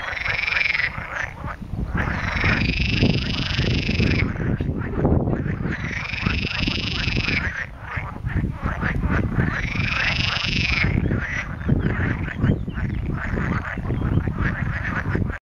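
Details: May chorus of frogs at a farm pond near Montepulciano in Tuscany, Italy: loud, harsh, drawn-out croaking phrases about two seconds long recurring every four seconds or so over constant low-pitched croaking.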